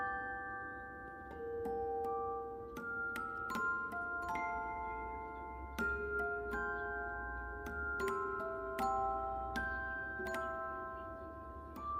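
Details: A gentle glockenspiel melody of single struck notes rings out over a soft low hum, with no animal voice present.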